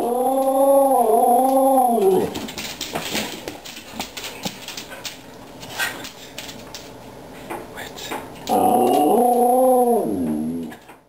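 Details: Pet dog, Aggie or Hailey, yodelling for treats: two sustained bursts of warbling, harmonically rich yodel with gently undulating pitch, one opening the clip and one near the end, separated by clicks, rustling and soft indoor noises.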